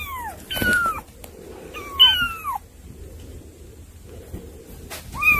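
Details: Cats come to visit their younger sibling kittens indoors; several high, thin mews sliding downward in pitch sound near the start, around the two-second mark and again at the end, over quiet room noise.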